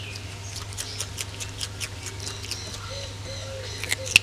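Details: Ring-tailed lemurs eating, heard as soft rapid chewing and light ticks repeated every few tenths of a second, ending in one sharp crack, over a continuous low hum.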